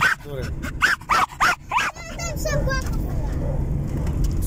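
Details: Pet male German Jagdterrier riding in a car, which he loves: a burst of five high, arched yelping barks in quick succession, then fading squeaky whines over a steady low car rumble.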